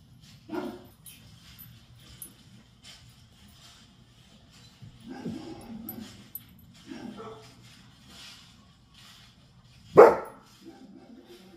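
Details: A Kangal's deep, sharp bark rings out once, with softer whines and vocal sounds before it, possibly from a German Shepherd reacting to the barking.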